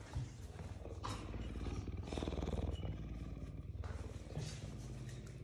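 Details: Pet puma Ceaser, a cougar living at home with its owners, gives a deep, steady purr: a dense, fast-throbbing low rumble that holds throughout. Faint rustling and handling sounds are heard over it.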